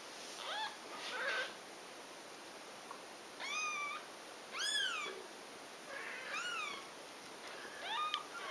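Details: Domestic cat scene of a mother nursing and feeding her kittens; scattered short, thin mews, some arched and some choppy, come at irregular gaps against a steady hiss.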